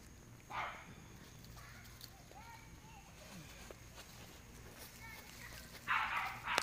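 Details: Dog racing along a fence, giving a short bark early on and a louder burst of two harsh barks near the end, with a person talking softly to the animal between them and faint footsteps.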